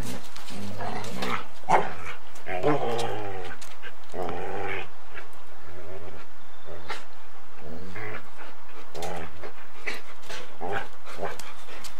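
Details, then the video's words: Golden Retriever and Samoyed playing bitey face and chasing each other, recorded on 8mm tape; a run of harmonic growling and whining vocalizations in short bursts, some rising, with scuffling and a faint human voice. "Golden Retriever and Samoyed play Bitey Face and run after each other"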